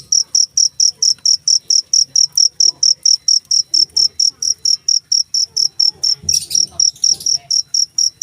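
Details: Clean, insistent cricket song: short piercing chirps pulsing steadily around four times per second, with only a brief rustling noise partway through.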